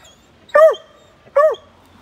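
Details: Bluetick coonhound puppy following an older black and tan coonhound, giving two short, high, arched yips about 0.8 seconds apart, each bending down at the end.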